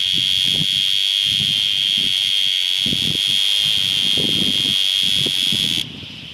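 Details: In summer, a cicada sings a loud, steady, shrill buzz that holds one high pitch without a break, over a man's voice.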